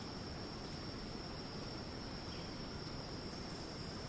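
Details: Rainforest cicadas in Ton Pariwat wildlife sanctuary, Phang-Nga, Thailand, holding a continuous shrill buzzing whine that never pauses, laid over a dense, even background rush.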